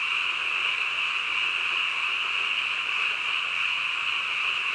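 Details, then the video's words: Midnight frog chorus, many callers blending into one constant, shrill, buzzing trill at even loudness, without pauses or distinct individual croaks. "한밤중 개구리 울음소리"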